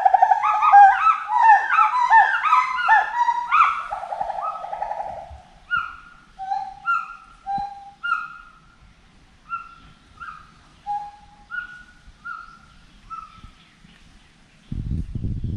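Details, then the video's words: Forest monkey calling: a dense burst of loud, overlapping hooting calls for about five seconds, then single falling whoops spaced roughly every second and a half that fade gradually, ending with a brief low rumble of noise. "FOREST MONKEY VOICE"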